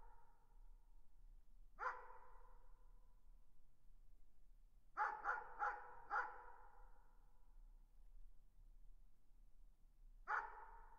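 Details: Distant dog barking: a single bark, then a quick burst of four barks, then one more, each ringing out with a faint echo over quiet background hum.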